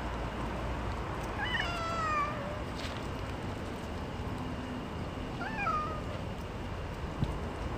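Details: Hungry stray cats being fed cat food outdoors: two drawn-out falling meows, the first longer, the second about four seconds later and shorter, over constant low background rumble.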